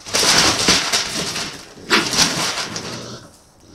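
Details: Two raccoons fighting over cat food on a patio, caught by a trail camera at night: harsh, broadband screeching and hissing bursts, one at the start and a second sharp outburst near two seconds, trailing off into quiet.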